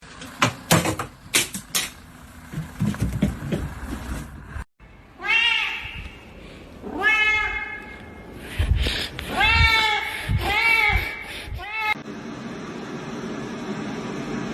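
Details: Domestic cat in a funny-cat compilation giving a run of about five loud, drawn-out meows, each arching up then falling with rich harmonics, after a stretch of talking and clatter.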